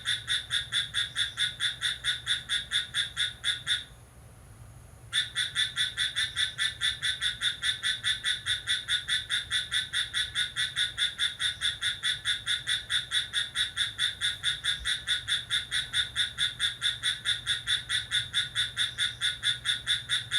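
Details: ['Cricket singing lively in the middle of the night, July 6: rapid, evenly spaced shrill chirps about twice a second, with one silent gap of about a second near the four-second mark before the steady rhythm resumes.']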